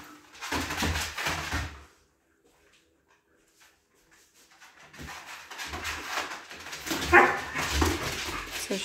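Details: Two Siberian huskies in mating games indoors; bursts of rough barks and whining whimpers in two spells separated by two seconds of silence, with a sharp yelp near the end and a person talking.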